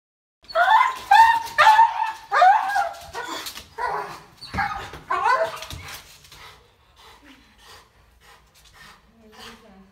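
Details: Dozer, a dog in rehabilitation for extreme aggression toward humans, during training; a run of loud, harsh barks, roughly two per second, fading into quieter sounds with faint human voices afterward.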